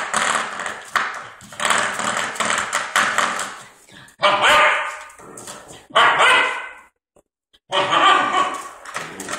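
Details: Anubis, an 11.5-week-old puppy, plays with a door stopper: springy rattling and tapping fill the first seconds, then three loud, sharp barks burst out about every one and a half seconds.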